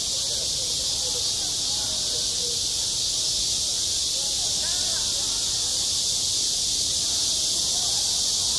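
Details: Midsummer cicadas on a school playground keep up a constant high, sizzling buzz that never pauses. Faint, scattered, wavering sounds that might be distant children's voices sit well under the drone.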